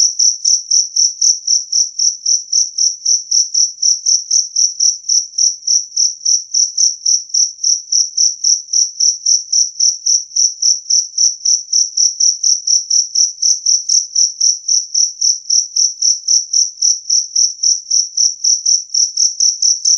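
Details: Loud, clear jangkrik kalung, the two-spotted cricket, whose chirping is claimed to repel rats; an unbroken run of high, ringing pulses close to four per second for twenty seconds, nothing else audible.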